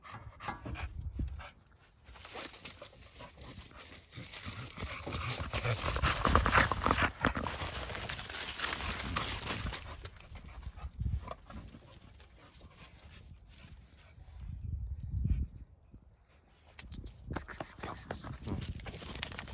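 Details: Male pet dog running around outdoors at 35 degrees, breathing in quick rough panting bursts about four per second that swell and fade in waves, with brief pauses and some low rumbling background noise.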